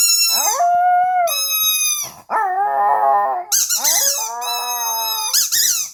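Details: Pet dog howling indoors: long sustained wavering tones with sliding starts, stacked in rich harmonics, in three drawn-out phrases separated by brief breaks, with higher yelping notes near the end.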